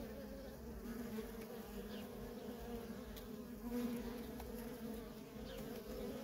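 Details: Feral colony of honey bees, workers streaming in and out; a dense continuous hum of many wings stays level throughout, with occasional short higher buzzes of single bees passing near.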